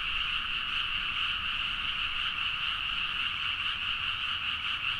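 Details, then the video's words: Frog chorus recorded at midnight in rice fields of Nagaoka, Niigata, Japan using a Zoom H4n; an unbroken, buzzing blanket of countless croaking voices, evenly loud throughout, with faint low background rumble. "The frog sound at mid night (環境,自然音 -深夜のカエル大合唱-)"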